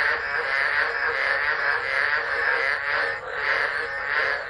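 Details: Dense chorus of tropical frogs calling through a tropical low storm at Driver, Northern Territory, Australia, December 2013, recorded on a phone left on the ground; a continuous wall of overlapping croaks with slow swells in loudness.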